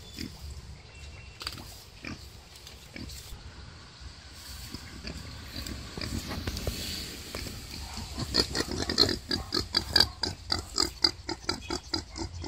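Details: Female wild boar during birth, with her labour visibly a struggle. A quiet, rustling start gives way after about eight seconds to a fast run of short, shrill, clicky squeaks repeated about once a second or faster.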